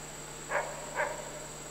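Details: A captive adult male red wolf (M1483) at a wolf conservation centre in South Salem, NY, with his roughly five-and-a-half-month-old son in September 2010, gives two short, soft, bark-like yips about half a second apart.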